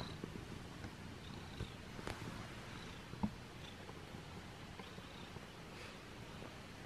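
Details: Abyssinian cat purring while getting a belly rub indoors: a steady, soft, low rumbling purr with faint blanket rustling and a single small click partway through.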